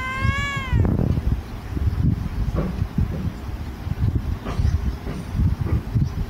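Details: A sleepy cat gives one short tonal meow at the start that falls in pitch, then only rustling and low thumping handling noise follow.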